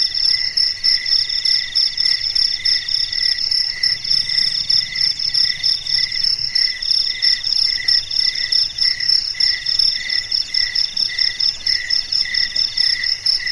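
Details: Chorus of crickets singing through a still night, bright high trills in stacked layers, pulsing rapidly and unbroken from start to finish.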